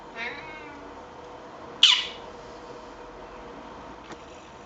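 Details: A talkative, friendly male Siamese cat chatting with a person: a brief harmonic meow at the start, then a sharper, louder, higher call, followed by quiet and a single soft click.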